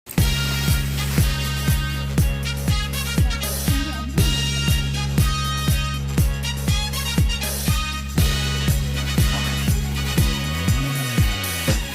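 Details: Upbeat pop music with a steady thumping beat of about one per second, bright layered synth chords and a sliding bass swoop near the end, with no animal voice standing out.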